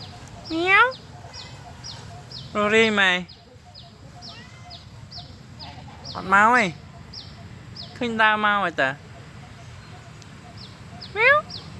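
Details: A black-and-white stray neighborhood cat gives rising-falling meows spaced several seconds apart, with people talking nearby and a steady series of short high chirps in the background.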